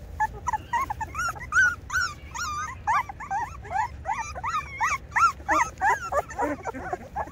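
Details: Rottweiler puppies two weeks old crying in quick succession, short arched squeaks and whines repeated about three times a second, bright and wavering, with a faint low background hum.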